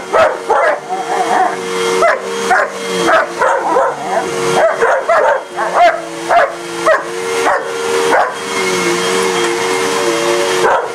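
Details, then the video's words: German Shepherd and a shepherd/husky mix attacking a running vacuum: a rapid, irregular volley of sharp, yipping barks, some whiny and pitch-bending, layered over the constant mechanical hum of the cleaner. "German shepherd vs Vacuum"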